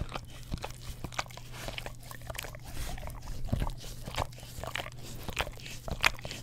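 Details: English Cream Golden Retriever pet dog licking an Orapup tongue cleaning brush beside a Blue Yeti stereo microphone; wet, smacking clicks come in quick irregular bursts over a steady low electrical hum.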